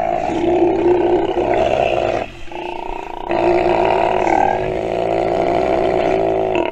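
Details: A nursing sea lion pup that has listened and learned gives loud, harsh, sustained bleating calls with a brief pause partway through.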